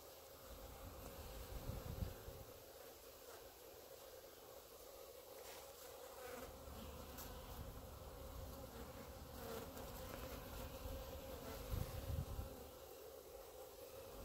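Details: A clump of honey bees on grass before the hives produces a continuous droning buzz that swells and fades slightly, with occasional thumps and handling noise.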